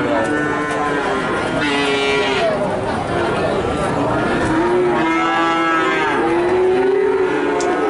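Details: A group of calves in Nganjuk, Indonesia, moos clearly. Drawn-out calls swell upward, then fall, one after another and partly overlapping, with a faint murmur of other noise behind.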